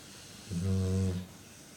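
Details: Awake female pet dog giving a single snore indoors, one buzzy low droning note lasting under a second, even and steady with layered harmonics, set in a quiet room.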